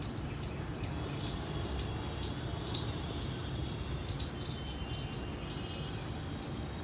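An Indian palm squirrel gives sharp, high chips, about two a second, over a low background rumble.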